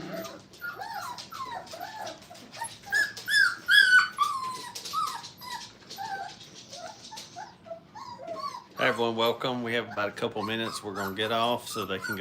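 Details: Brittany puppies, five weeks old, playing in a kennel: a stream of thin, wavering whines and short squeaky yelps, some sliding downward, then a human voice talking over them in the final seconds.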